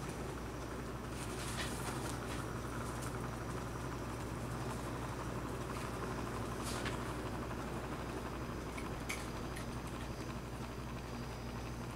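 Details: A steady engine-like hum fills an indoor room, with occasional soft knocks and rustles and no animal voices.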